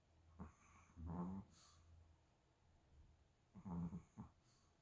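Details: Chihuahua snoring indoors: short, low rumbling snores with a nasal whine, two pairs of bursts separated by a quiet pause, in a small quiet room.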